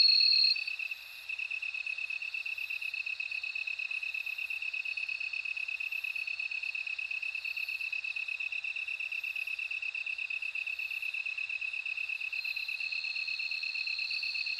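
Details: Bell cricket singing: a high, bright, ringing trill held almost unbroken, with a faint pulsing overtone above it, steady and unchanging across the whole stretch, with no other sounds.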